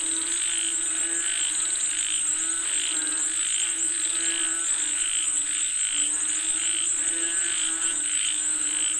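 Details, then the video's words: A chorus of frogs calling for rain: rhythmic bursts of grating pulses come in quick succession, layered over a low hum and a constant shrill buzz high above. "Listen to the Sound of Frogs Calling For Rain 🌧️🐸 เสียงกบเรียกฝนตก"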